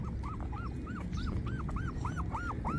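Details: Twenty-four-day-old puppies give a regular series of high, arched whines, each rising and dipping, about nine in under three seconds, against low rumbling background noise.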